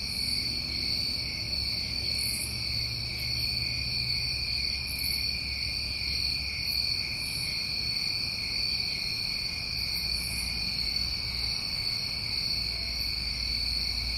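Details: New England crickets on a summer night form a seamless shrill trilling drone, with scattered brief higher chirps throughout and a soft low rumble and hum beneath.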